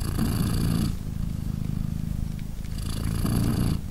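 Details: Low, even purr from a British Shorthair mother cat, Polina, cuddling her three-day-old kittens indoors during nursing; breath-cycle rumble shifts between a smooth low phase and a rougher, hissier phase.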